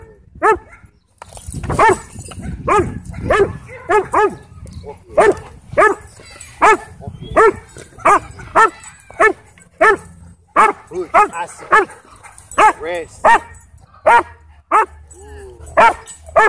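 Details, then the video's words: Sheriff's K-9 Belgian Malinois in a Texas county at a dog park, trying to attack: loud harmonic barks in irregular bursts, roughly one to two per second, with rustling and low rumble beneath. "Sheriff's K-9 Belgian Malinois Tried To Attack Me At Dog Park"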